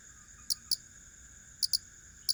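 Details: Crickets in a steady chorus: high, unbroken whining tones at several pitches, broken by a few sharp, loud clicks in quick pairs.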